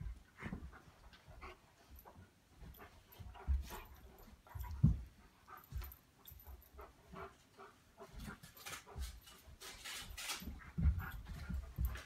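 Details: Two Old English Sheepdogs play-wrestle like polar bears, huffing, panting and grunting in irregular low bursts amid scuffling noises.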